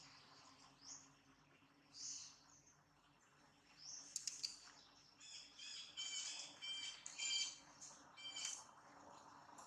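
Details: Monkey named Jane, scared and in a terrible mood with a camera around, giving high shrill squeals and squeaks in uneven bursts, denser and louder in the second half, over a steady low hum.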